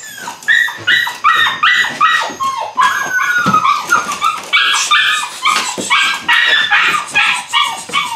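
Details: Loud, harmonic yelps and yips from eight-week-old Belgian Malinois puppies in bite work, several per second in quick rhythmic bursts, some notes sliding downward.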